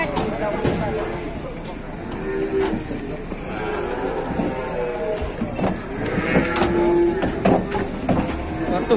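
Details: Cattle caught and stuck while being unloaded from a truck, giving drawn-out, low, harmonic moos in several bursts. Human voices talk over them throughout, with a steady background of vehicle and engine noise.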